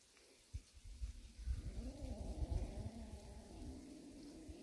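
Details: Warehouse cat family, a mother and kittens resting; a drawn-out, low, wavering meow lasting about three seconds over soft rumbling and rustling.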